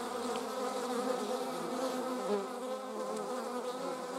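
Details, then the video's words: German wasps in flight, several at once: a steady droning hum of overlapping wingbeat tones that waver and slide in pitch as the insects weave about, with no other sounds. "German wasps - slomo flight show"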